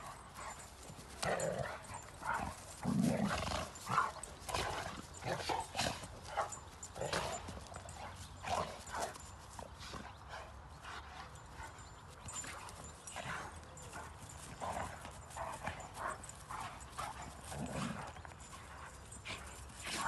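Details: Rhodesian Ridgebacks playing during leisure time after the 2021 Nationale d'élevage in Châtel Guyon; scattered barks and yelps over scuffling movement, with people talking nearby throughout.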